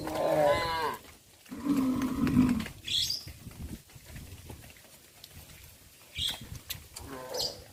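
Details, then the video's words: Cows on a traditional village farm walking along the village road to the livestock pen in the afternoon; a short higher moo, then a lower drawn-out moo of about a second, with chirps and rustling between. "Sound of cows moo"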